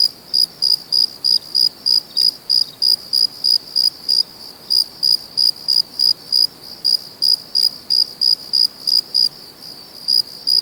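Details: Crickets calling at night in their natural environment; sharp, high, ringing chirps repeat steadily around three each second, slightly uneven in loudness, over soft background hiss.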